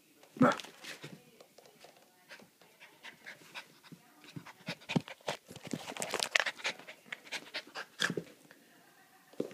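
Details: Astra, a playful Havanese puppy, plays and gives kisses to her dog walker during a mid-day visit: quick, breathy panting bursts run throughout, with snuffling sounds and a woman's voice now and then.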